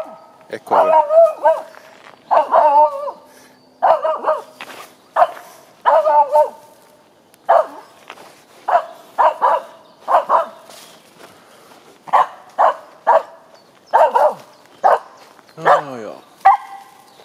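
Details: A four-year-old female Finnish Spitz, in heat, barks after finding a squirrel on an early-morning April 17, 2020 walk in Sisjön nature reserve near Göteborg, Sweden. Sharp, mid-pitched barks come singly and in quick doublets, roughly one burst per second, with a final whining bark.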